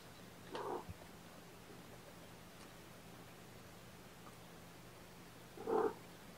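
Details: Morning feeding of young foster kittens on 8 May 2018, with formula given by syringe: one brief kitten mew near the start and a second, louder one about five seconds later, with a steady quiet hum between.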